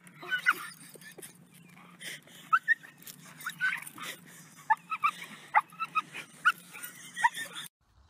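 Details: Pit Bull dog giving a run of short, high whimpering yelps and whines, clustered in quick bursts over about seven seconds against a faint steady hum, then cutting off abruptly.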